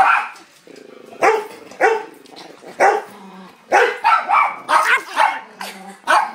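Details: Chihuahua worked up over a hamburger, barking sharply and repeatedly, roughly one or two yaps per second, with brief low growly whines between the barks.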